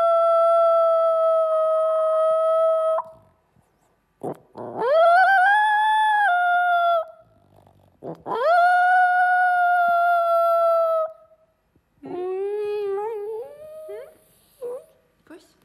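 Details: Italian Greyhound, a pet dog that rarely barks but loves howling, giving several long tonal howls: a steady held note, then rising howls with a wavering end, followed by shorter yelping, bending calls.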